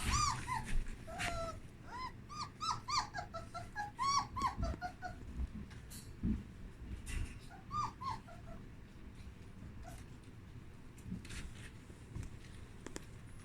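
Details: Puppies exploring a whelping box with fresh blankets whimper and squeal in quick, high, wavering bursts, many overlapping in the first half, then sparser cries over a steady low hum.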